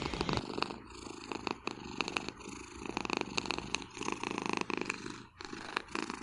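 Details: Sleeping pet cat snoring on a chair behind a desk in a Vancouver home, a steady buzzing rumble pulsing with each breath, roughly once a second, in a quiet room.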